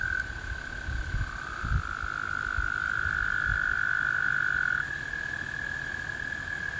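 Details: Spring chorus of American toads: one sustained trill runs throughout while a second, slightly lower trill rises in and overlaps for several seconds before dropping out; soft low-pitched rumble below.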